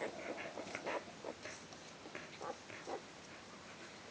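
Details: Four-day-old Border Collie puppies in a litter, making frequent short, high squeaks and whimpers in quick succession over a steady background hiss.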